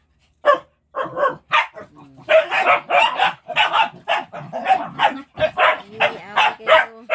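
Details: Pet dogs at play while waiting to be fed, barking in a dense, overlapping burst of rapid yips and barks over seven seconds, several voices, some with a whining tonal edge.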